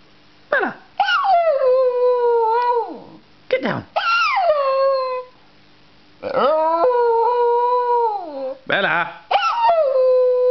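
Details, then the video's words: Staffordshire Bull Terrier and Jack Russell cross dog "talking" to its owner; a run of yodelling howls, each sliding up sharply then holding and falling, some with yelping starts, grouped in bursts with short silent gaps. "Talking Dog Bella - Staffordshire Bull Terrior"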